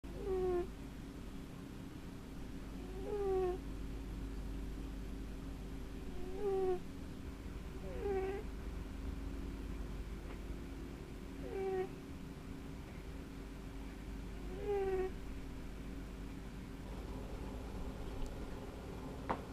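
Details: Sleeping Sphynx cat snoring, each breath ending in a short, descending, whistled squeak, repeated roughly every three seconds over a steady low hum in a quiet indoor room.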